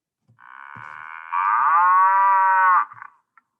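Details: Cow mooing, played as the sound a cow makes: a long, tonal, harmonic-rich moo lasting about two and a half seconds. It begins softer, swells abruptly into a louder steady bellow, then fades, with a few faint clicks around it.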